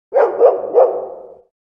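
A dog gives a quick run of three barks that blur together before fading out.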